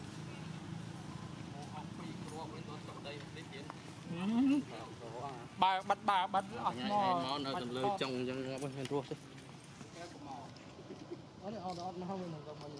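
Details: Baby monkey Jinx, one of the temple monkeys of Cambodia, yelling while its mother is angry. Loud, wavering, harmonic cries rise and fall in quick bursts for about five seconds, then fade into softer calls over steady background noise.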